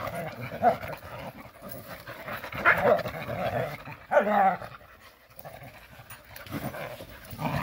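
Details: Countryside Jindo dogs playing happily: loud panting and growly mouthing sounds, broken by brief high whining squeals twice in the middle, then quieter breathing before the scuffling picks up again.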